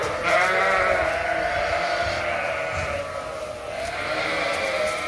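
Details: Many Suffolk lambs mixed into one big group in a barn after escaping through an open gate, bleating over one another in a dense, continuous overlapping wavering chorus, with a background of music.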